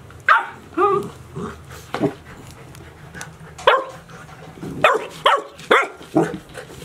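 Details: Chiro's 72-day-old Golden Retriever pups, litter of six, recorded 6 July 2018 at Ain Village: sharp, high yapping barks in two bursts, eight or nine yips spaced under a second apart, over a faint background hum.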